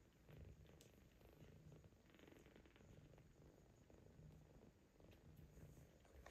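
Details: Grown kittens, already eating from a bowl, suckle milk from their mother cat while some latecomers wait their turn; steady low rumbling purr swelling in cycles about once a second, with soft rustling and small clicks.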